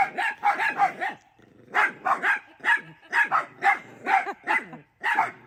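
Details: Several pet dachshunds barking at their grandmother as she looks out a window at them: sharp, high, excited barks in rapid bursts, about two or three per second, with a brief pause before they resume.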